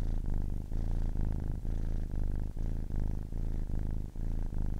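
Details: A 10-week-old kitten purrs in a deep buzzing rumble, broken by brief dips in rhythm with its breathing, roughly once every second.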